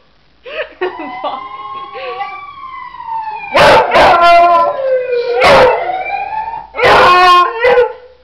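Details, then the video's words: A pet beagle howling at a passing ambulance: after a few short yips, long sliding howls with rich harmonics overlap a siren, with loud bursts of howling toward the end. "beagle howling at ambulance"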